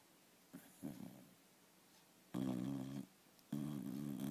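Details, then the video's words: Sleeping dog snoring: a soft short snort, then two loud, rough, buzzing snores about a second long each, separated by brief quiet. "Храп спящей собаки"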